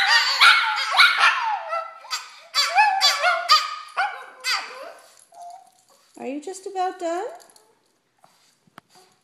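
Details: Two Shih Tzus and a Papillon howl and yip excitedly when their owner gets home from work, wavering high cries overlapping in an eager greeting chorus; one sounds like a squeaky toy.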